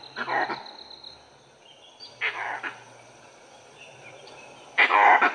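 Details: Gray langurs, ever watchful, give loud, harsh, barking alarm calls in short bursts about every two seconds, alerting to a dhole pack treeing a leopard.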